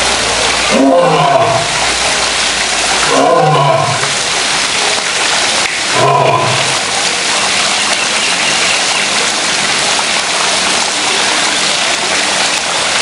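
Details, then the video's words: Male lions in a zoo roaring as a daily routine: three deep, grunting roar bursts near one, three and six seconds, each with a rising then falling tone, over steady hiss like rain or water. "Lions Roaring Compilation"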